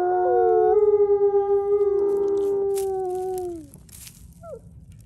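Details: Captive-born gray wolves in South Salem, New York, join a chorus howl led by a quiet-voiced male: sustained overlapping tones, one sliding gently downward and fading, followed by a brief rising yelp.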